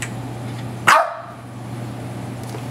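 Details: One abrupt, loud bark from Magneto the dog during play with his ball, cutting off quickly into a quieter room with a constant low hum underneath.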